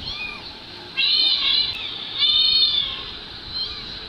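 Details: Two kittens' high, thin mews played back from a mobile phone recording while their mother cat runs over to listen; a few drawn-out, wavering cries with a soft hiss underneath.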